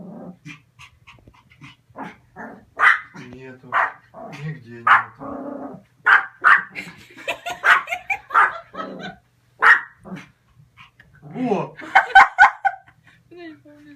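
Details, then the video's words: Excited spitz dog, described as crazy and sharing a home with a cat named Begemot, giving bursts of sharp, high yappy barks in quick irregular runs, with a woman talking in Russian before and between the barks. "сумасшедший шпиц"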